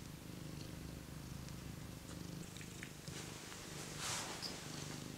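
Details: Steady low purring from a cat warming by a heater, a rhythmic rumbling drone with quick pulses, briefly interrupted by a soft rustle near the end.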